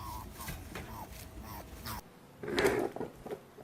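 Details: A rabbit gives soft, quick honks, a run of small nasal puffs, then a louder breathy burst, a sound labelled as angry.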